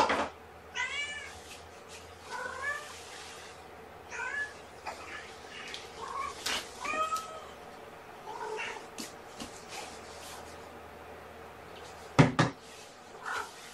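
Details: Domestic kittens, born April 14th, meowing at feeding time on the morning of 1 May 2018: a run of short, high, wavering mews at irregular intervals, mixed with soft clicks and handling noises, then a loud thump near the end.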